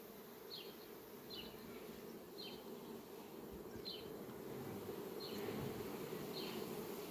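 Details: Honey bees flying among sunflowers on a farm on 18 July 2021: a steady, dense low hum of many wings, with faint high chirps repeating roughly every second above it.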